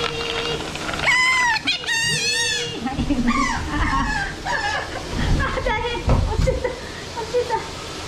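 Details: Asian small-clawed otter named Yui, kept at Ise Sea Paradise aquarium in Japan, eating; loud, high, harmonic squeals with arched rising-then-falling contours in a quick burst early on, followed by softer chirps amid human chatter.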